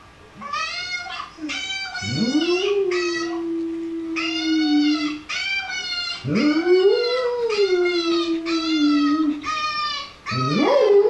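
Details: Dog responding to a puppy: long harmonic howls that rise then hold steady for several seconds, overlapped by high, bright, repeated whimpering cries from a second animal.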